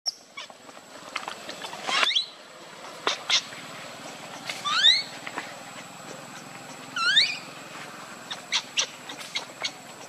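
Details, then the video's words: A baby monkey named Lucie, crying from hunger for milk, lets out a few sparse, high upward-sweeping squeals spaced a couple of seconds apart, with faint clicks between. "Very Pitiful Need Milk Crying"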